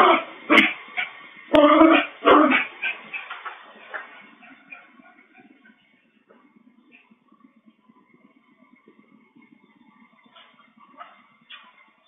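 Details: Bichon Frise picked up by a pet camera's microphone; a few loud tinny barks in the first seconds, fading into soft whimpers and faint yips, then quiet with a couple of distant higher barks near the end.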